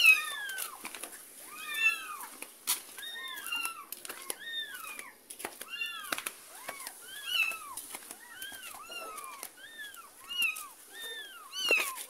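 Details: Domestic cats, a mother trailing her kitten carried between a neighbour's yard and home; a steady stream of short, bent, high-pitched mews, often two or three overlapping, continuing for the whole stretch with a brief clatter.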